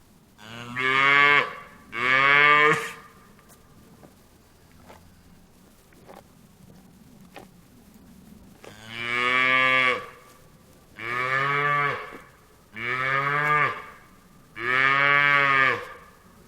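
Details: Cattle on a farm mooing repeatedly: two moos, a quiet gap with faint clicks and knocks, then four more evenly spaced, strong harmonic moos about every two seconds.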